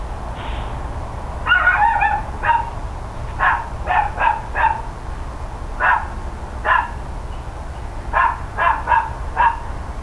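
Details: Neighbours' dogs barking loudly around 10 AM on 13 October 2012: sharp barks, some in quick doubles and triples, recurring through the stretch over a steady low background hum.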